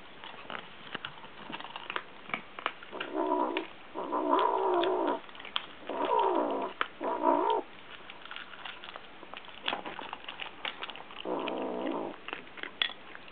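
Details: Two Munchkin kittens eating side by side, growling when touched during their meal as if guarding food from being taken; rough, buzzy growls in bursts of about one second, repeated several times, with chewing and clicking noises between.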